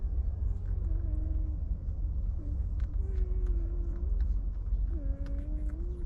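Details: Stray mother dog lying with her sleeping puppies. Soft, drawn-out whimpering tones, low and steady, come in several separate sobs of about half a second to a second, over a constant deep traffic-like rumble.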